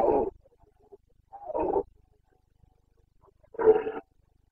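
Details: Red deer stag of the Carpathians roaring in the September breeding season in Bucovina, Romania; three hoarse, guttural bursts about one and a half to two seconds apart, the last loudest, in otherwise quiet surroundings.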